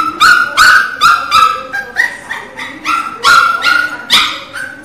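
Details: A Miniature Pinscher puppy cries loudly in a short run of piercing, tonal yips, rapid and uneven, with softer whines between the louder squeals.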